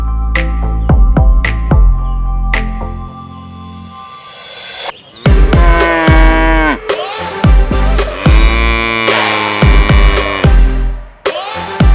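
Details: Electronic dance music with heavy bass drums and sliding, moo-like synth tones.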